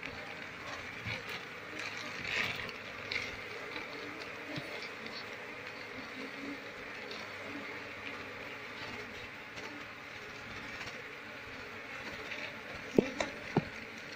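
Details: Wild Asian honey bee colony (Apis cerana) humming steadily while someone searches for its queen so the colony can be moved into a cultivation box; a dense, continuous drone with a few sharp knocks near the end.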